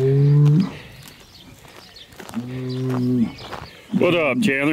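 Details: Hereford bulls, big herd sires being moved around for fertility testing: a deep, steady low bellow, a second flat low moo after a pause, then a higher, wavering arched call at the end.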